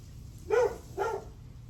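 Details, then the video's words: Dog barking in the morning, July 9 at 8:38 am: two short, sharp barks about half a second apart, the first slightly louder, over a steady low hum. "Barking dog"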